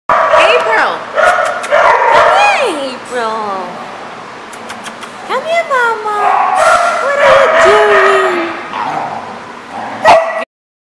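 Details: Dogs at a lot on 18 August 2014: a loud mix of yips, whines and sliding, howl-like cries falling in pitch, several voices overlapping, with people talking in the background.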